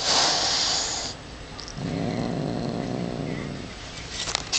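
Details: Female pet cat, moody and attacking after being petted indoors, gives a steady low rumbling growl for about two seconds, preceded by a hissy burst of noise and followed by faint clicks.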